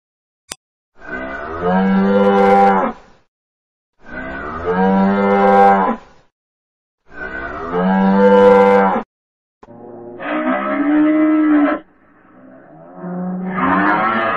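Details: Several deep, sustained cow moos, each lasting about two seconds with brief pauses between; the last few rise in pitch and turn hoarser.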